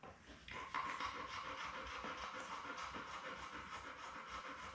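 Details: Labrador Retriever litter on a live puppy cam, June 4: mother Belle with seven newborn puppies born May 24, 2021. Rapid, breathy panting runs about three to four breaths a second, with a steady faint hum underneath.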